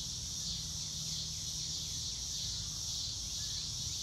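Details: A field of crickets trills steadily on a blue-sky day: a bright, high, rapidly pulsing buzz with no pauses, set over a faint low rumble and no other clear voices.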